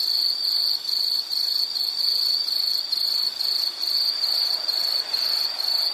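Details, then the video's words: Cricket-like insect chorus: a high, thin trill broken into short bursts roughly every half second, a regular pulsing chirp over a soft background hiss. "Nature Sound of nature sounds scenery L · insect"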